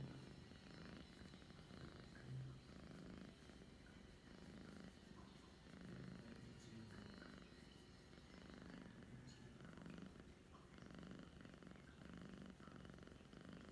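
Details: Pet cat purring at 2:10 PM on 11 December 2021: a soft, low, throbbing rumble that swells and eases roughly every second across the whole recording, steady and unbroken.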